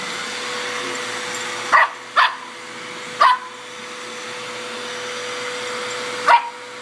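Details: Rory, a four-and-a-half-month-old Border Terrier puppy, chases a Hoover he dislikes. He gives four short, sharp barks: three close together in the first half and one near the end, over the vacuum cleaner's steady roar.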